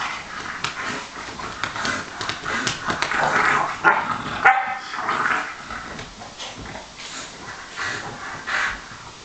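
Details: Pet dogs of bulldog, Sarplaninac and Staffordshire bull terrier breeds play fighting on a couch at home, giving short sharp barks and yips in rapid irregular bursts, with grumbling between them and scuffling noise throughout.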